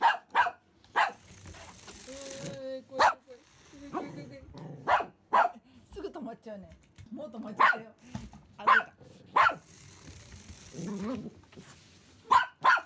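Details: Simba the Pomeranian, worked up over a remote-control rat seen for the first time, lets out bursts of sharp barks at irregular intervals, mixed with a person talking and toy noises between the barks.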